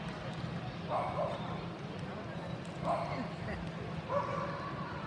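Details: Paco, a Havanese, during an AKC Excellent Jumpers With Weaves agility run on 22 September 2018; three short harmonic barks spaced about a second apart over crowd and handler noise.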